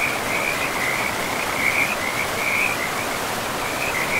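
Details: Frogs calling beside a river in a pristine, moss-covered forest: a steady, high, trilling chorus that wavers in pulses over the constant broadband rush of flowing water.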